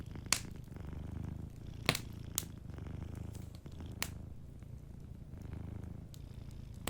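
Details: Sleeping cat purring softly beside a fireplace, a low rumbling purr pulsing in slow breath cycles, with sharp crackles and pops from the fire cutting through repeatedly.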